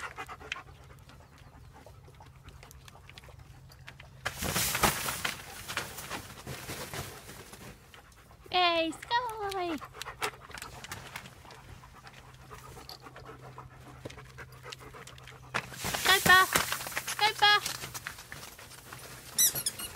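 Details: German Shepherds in a pack: breathy bursts of panting, with a run of high, quickly falling whines in the middle and more short whines near the end over a quiet, steady hum.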